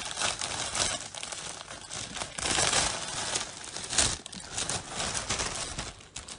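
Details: Rustling and crinkling noises indoors, with no animal sound.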